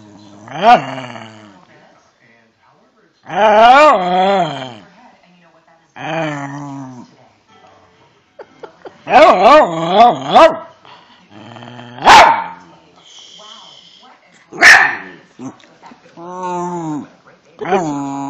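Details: Cairn Terrier 'talks' back to a person questioning it indoors: wavering, rising-and-falling whiny howls and grumbles come in repeated bursts, alternating with the person's speech.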